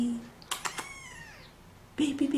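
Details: Faint, wavering kitten meow with a few soft clicks nearby, between snatches of a person's affectionate baby talk.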